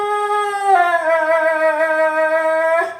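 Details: Pet husky named Yashika howling indoors near a bedroom, objecting to a pet gate; one sustained, steady tonal howl, stepping down slightly in pitch after a moment and held for about two seconds before ending.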